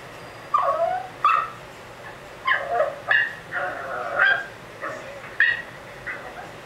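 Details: Lucy, a curious female Pekingese, voices soft rising whines and short yelps in uneven bursts, roughly one every second, against a quiet indoor background.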